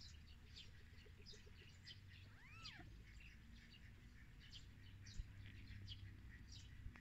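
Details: Newborn kitten on its first day of life, just born to a mother cat: a single thin mew, arching up then sliding down, near the middle, over steady low hum and scattered faint bird-like chirps.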